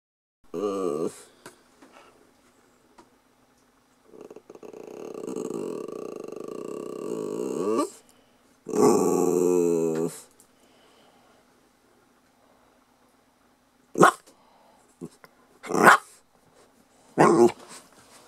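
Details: A 'talking' Lhasa Apso pup makes drawn-out, moaning, talk-like growls, then a few short sharp yips.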